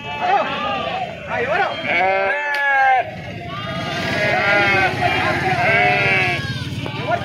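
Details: Sheep being unloaded at the weekly market in Pebbaru, Telangana, India, give long, tremulous bleats in overlapping chorus, pausing briefly near the middle before resuming; a sharp knock and background human chatter are also audible.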